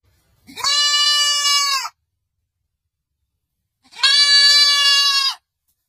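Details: Baby goat giving a pair of drawn-out, even, strongly harmonic bleats, each lasting roughly 1.4 seconds with a quiet gap of about two seconds between them.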